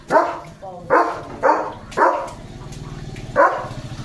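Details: German Shepherd named Leo barking at passing cattle and goats headed for the fields: five loud, abrupt barks in about four seconds, four coming in quick succession, then a short gap before the last, over faint murmuring.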